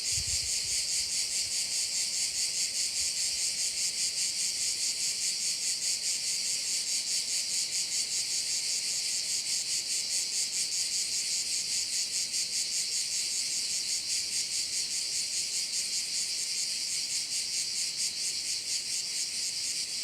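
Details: Steady shrill chorus of crickets by a Korčula bay, a high dense buzz with an even, rapid pulsing rhythm that holds unchanged for twenty seconds, nothing else clearly heard.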